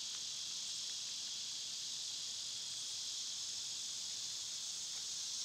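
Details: Summer cicada chorus: an even, high-pitched buzzing hiss that never pauses, with a few faint soft ticks in the background.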